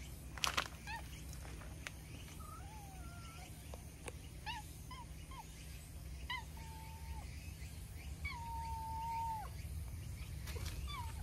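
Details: Milk-tea colored stray cat outdoors, roused from a nap and chatting as it comes over to be petted: a run of short and drawn-out tonal meows, some level, one long and steady, with rustling and soft footsteps.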